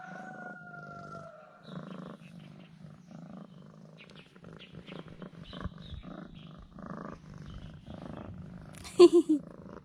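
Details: Pet cat purring contentedly, fawning on its owner after being fed two sausages; soft, low rhythmic pulses in repeated bursts, ending with a few sharp louder knocks.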